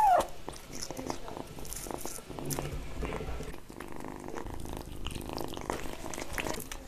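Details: Kittens eating indoors, in close-up: a brief high call at the start, then a steady low harmonic purring hum under wet smacking and chewing clicks.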